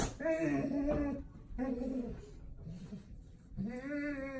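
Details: Golden Retriever excited to see its owner, making weird Chewbacca-like groaning vocalizations indoors: drawn-out, moaning tones in three or four bursts with short pauses between, in a small room.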